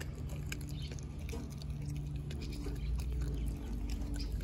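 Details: Denali, a four-month-old female American Blue Bay Shepherd puppy, eats a raw turkey neck; quick irregular crunching and wet chewing clicks, several per second, over a low steady hum indoors.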